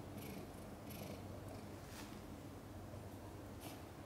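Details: Purring mother cat Chan while giving birth to five kittens in a hard labor with backwards births; a continuous low, even rumble pulses quietly, broken by a few soft high rustling clicks in a small room.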